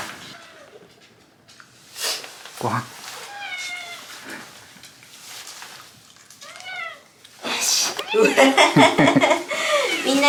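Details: Shiba Inu named Hachi grumbling in 'dog language' at bedtime, complaining after being kept waiting too long; several drawn-out, arching whiny moans with rising-falling pitch, ending in a longer burst of warbling vocal complaint.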